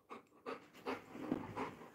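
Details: Labrador Retriever Coco, tired out from jumping, pants hard in rhythmic breathy huffs about every third of a second, each broad rasping burst loud and close.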